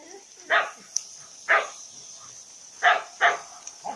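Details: Labrador mix female dog, 14 months old, rescued and kept in private boarding in the province of Turin, Italy: four short sharp barks spaced irregularly over a few seconds, with a steady high hiss in the background.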